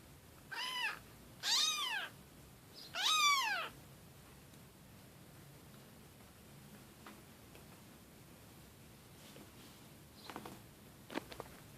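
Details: Kitten giving three short, high, arched meows within the first four seconds, the last one longest and strongest, then near silence with a few faint clicks in a quiet room.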